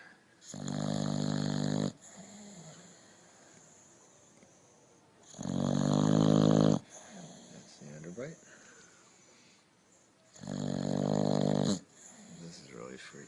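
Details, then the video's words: Sleeping dog snoring in regular cycles, three long buzzy, harmonic inhalation snores about five seconds apart, quiet wheezy exhalations in between, faint human voice nearby. "Funny Dogs Snoring"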